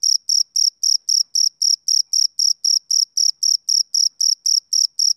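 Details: Male cricket on a summer evening: a steady, high-pitched chirp repeated about four times per second, some twenty evenly spaced pulses, with a faint higher overtone and no other sounds.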